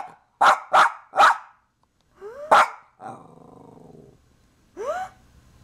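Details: Domestic dog startled by sneezes, which scare it unlike thunder or fireworks: three quick loud barks, then a yelping bark, a rattling growl and a final rising whine.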